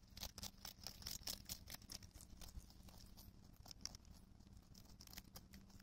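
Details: A European rabbit on Okunoshima (Rabbit Island), Japan, in June 2021 chews cabbage thoroughly: quick, crisp, irregular crunches about twice a second.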